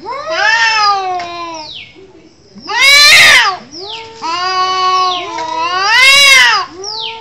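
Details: Cats fighting with drawn-out caterwauling wails, broken by two harsh explosive hiss-like bursts, the wails rising and bending between them.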